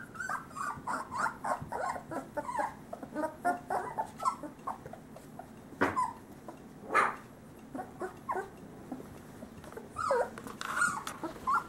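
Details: Male Great Pyrenees puppies, about three weeks old, from a summer 2013 litter: a steady stream of short high yips, whimpers and squeaks, sometimes overlapping, over a constant low background hum.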